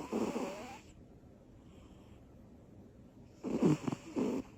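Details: A small female cat named Butters, asleep after energy bursts. One raspy snore trails off at the start, then a quiet pause, then a pair of loud, rough snoring breaths close together.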